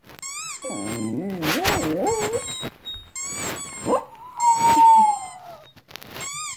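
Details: Dog going crazy over weird sounds: a wavering, warbling howl in the first seconds, then a long high whine, mixed with repeated electronic-sounding chirps and bursts of noise.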